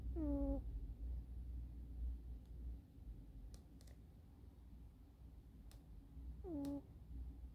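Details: Eddy, a kitten sound asleep on a sofa with his chin cradled on a forearm raised against the sofa back, snores; two short, squeaky, falling tones with harmonics stand out about six seconds apart over a low indoor rumble, with faint clicks between.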